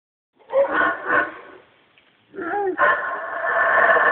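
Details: A single male howler monkey in the Guatemalan jungle, irritated by people and shaking branches, gives deep, rasping roars swelling into a long, harsh, breathy howl; he howls every time it rains.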